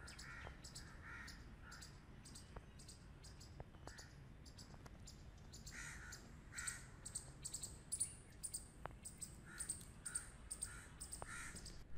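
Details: Grey squirrels playing together give short, harsh buzzing bursts in quick, uneven runs over a low background rumble.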